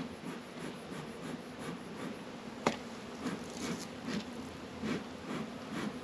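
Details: Apiary honey bees in northern Kentucky, active on a warm February afternoon at 72 degrees. A dense, even buzzing hum holds steady under light rustling, with one sharp tap partway through.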